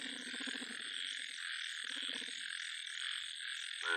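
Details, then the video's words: Large yellow frog giving two bursts of low, rapidly pulsed croaking, the first lasting almost a second and the second shorter, over a steady high-pitched background chorus. "yellow BIG frog"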